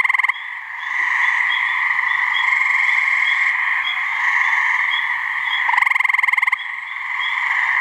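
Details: A gray treefrog (Hyla versicolor) in a New Hampshire swamp gives short, musical pulsed trill mating calls over a steady chorus of calling frogs; the species calls from May to mid-summer.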